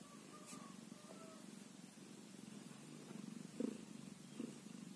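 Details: Low, even purring from a one-day-old kitten, with faint thin high squeaks early on and two soft, louder pulses toward the end.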